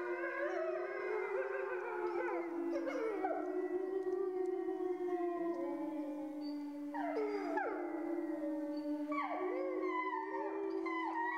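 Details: Grey wolves in France howling as a chorus: one long steady mid-pitched howl held throughout while other voices rise and fall in overlapping sliding, wavering howls, several entering anew around seven and nine seconds.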